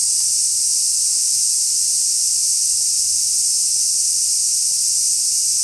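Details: Recorded at Kenmin Kenko Fukushi Mura in Koshigaya, Saitama, Japan, on 6 August 2016, a large brown cicada keeps up a continuous frying, hissing buzz at an even loudness throughout.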